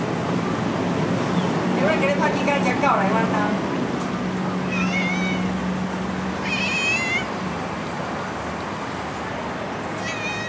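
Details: A playful stray cat follows along and gives several short, tonal meows, some rising and wavering, spread over about ten seconds. A steady low hum and broadband background noise run underneath.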